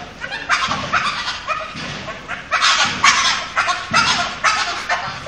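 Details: A dog, not the filmer's own, making a strange, amusing noise: a run of harsh, raspy, honking bursts, roughly two per second, each a short broadband rasp, with faint background murmur between them.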